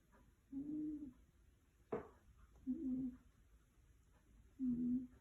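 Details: Sleeping tiger snoring: three low, buzzy droning snores roughly two seconds apart, each about half a second long, with a sharp click between the first and second; quiet background otherwise.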